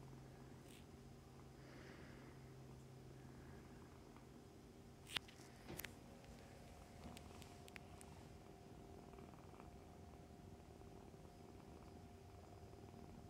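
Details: Foster kittens and their mother cat, fostered for the Humane Society of North Texas, nursing and playing indoors; a low steady rumbling purr runs throughout, with a few sharp clicks and knocks near the middle.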